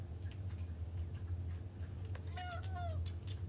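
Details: A pet cat named Alfie, answering as it is asked about going outside and whether it went far: one short tonal meow rising then falling late in the clip, over a steady low rumble with quiet human speech.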